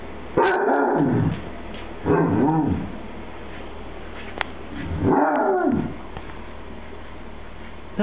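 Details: A happy Basset Hound trying to tell its owner something gives three gruff, moaning, half-bark vocalizations, each about a second long with warbling, bending pitch. They are spaced a second or two apart, with a small click between and quiet room noise.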